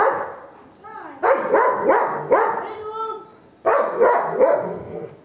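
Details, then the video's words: Golden Retriever barking aggressively at monkeys to chase them away; harsh barks in quick bursts, a run of about four, a pause, then three more, with a person's voice in between. "Dog Barking on His Friend Or Enemy? | Golden Retriever"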